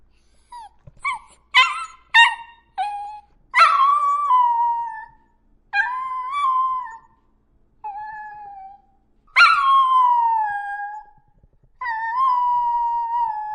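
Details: Dog giving a run of sharp yips that lead into several long howls, each sliding down and trailing off, separated by short silences.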